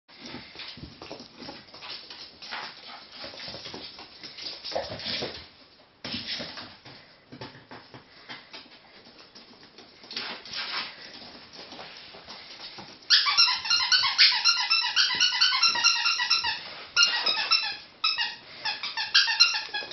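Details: Three pet ferrets jumping about during indoor playtime: scuffling and rustling for about thirteen seconds, then loud bursts of rapid, high, harmonic squeaks repeated in quick runs until the end.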